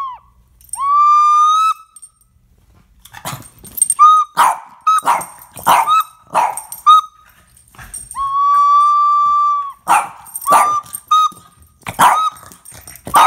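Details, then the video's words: Boston Terrier dog barking at a person playing the flute; long held flute notes alternate with bursts of short sharp barks and yelps, several barks in quick succession between the tones. "Fifi dog restating to dah flute"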